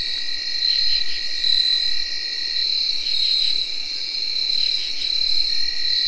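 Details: Tree crickets give a steady, shimmering night chorus of high, continuous whirring trills, alongside chirping field crickets and katydids, in early October 2021.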